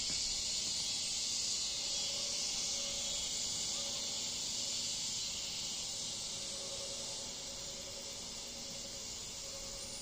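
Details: In a backyard in Bolivar, Missouri, around 8:30 pm on Wednesday 16 August 2023, a cool evening in the 70s, cicadas on every tree drone nonstop, high and hissing, seeming to take turns.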